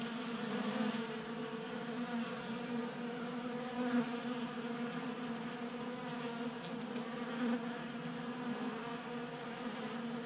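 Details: Several honey bees feasting at a tabletop 3D printed bee feeder in a Colorado garage in January, active in unseasonal 60-degree heat. A continuous droning hum of wingbeats, even and unbroken, with faint louder moments as bees pass close.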